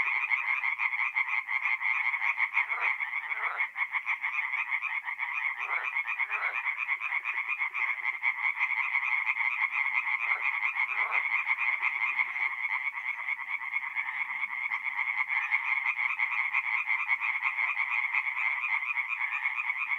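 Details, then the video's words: Tree frogs calling by night at a forest pond in North-East Italy in mid-April. A loud, continuous rasping chorus of quick repeated pulses holds steady throughout, with individual croaks briefly standing out every few seconds. "relaxing forest pond by night with singing tree frogs"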